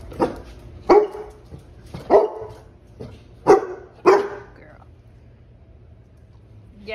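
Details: Pet Basset Hound asked by its owner to speak: five loud, deep barks come about once a second for four seconds, with a brief gap between the second and third, then quiet, then a faint whine at the end.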